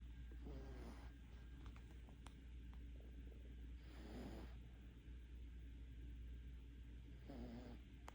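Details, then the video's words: Five-month-old puppy snoring in deep sleep after a walk; soft, raspy breaths swell about every three and a half seconds over a steady low hum, with quiet gaps between. "5개월 강아지의 기절후 코콜이"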